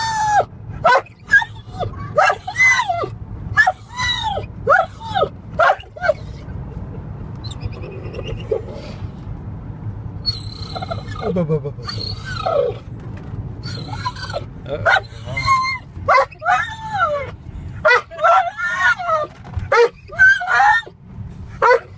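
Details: Excited dog in a car as it nears home, whining and screeching: a long series of short, high yelping whines with rising and falling pitch, with a steady low engine rumble underneath.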